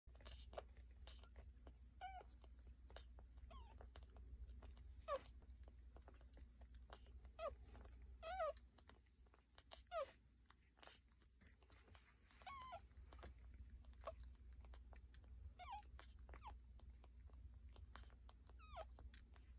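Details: One-day-old newborn pups nursing indoors: faint high squeaks and short rising whines scattered through, over a steady low hum and soft suckling clicks.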